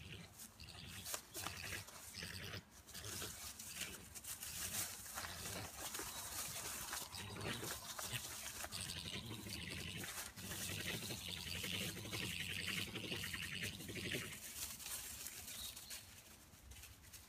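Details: Two European badgers in a garden, either fighting or mating, give harsh, rasping growls and squeals in a rough, continuous, churning tumble of sound likened to an old, misfiring V8 engine.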